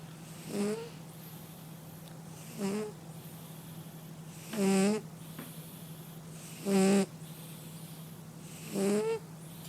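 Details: Sleeping domestic cat snoring steadily, five rough, buzzy inhalations roughly every two seconds, each with a nasal, rattling tone, set against a constant low hum.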